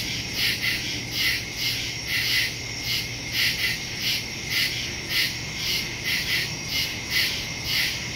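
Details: Crickets in woods at night, recorded September 2, 2023 on a Samsung Galaxy S22 Ultra phone with a Shure MV88+ stereo microphone; dense high steady trilling with pulsing chirps roughly once per second over a constant low hum.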